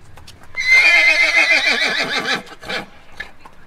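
A horse gives a loud, shrill whinny that quavers and falls over nearly two seconds.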